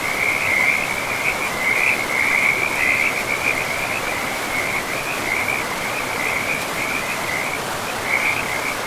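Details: Frogs calling by a river deep in a pristine forest: a nearly unbroken high, pulsed trill that runs almost the whole time with only brief gaps, above a constant hiss of rushing water.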